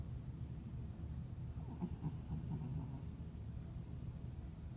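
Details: Leo the cat snoring softly: a low, steady rumbling breath with a brief rasping snore in the middle, quiet and close in a still room.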